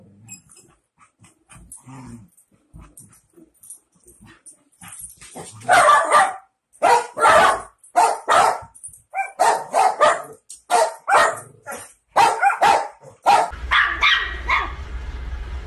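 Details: Miniature Schnauzer barking in a rapid, uneven series of sharp barks that starts softly and grows loud after a few seconds, about one bark every half second, with a low hum near the end.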